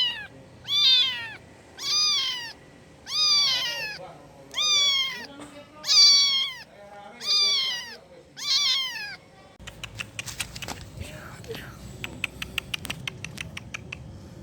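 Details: A kitten calls to its mother with seven loud, evenly spaced meows, roughly one every 1.3 seconds, each rising and then dropping. Steady clicking and rustling follow in the last five seconds.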